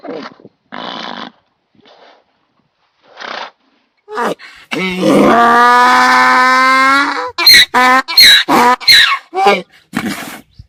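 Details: ['Braying donkey, voicing anger or fear: scattered soft grunts and pauses, then a loud sustained harmonic hee lasting over two seconds, followed by sharp rhythmic haw pulses.']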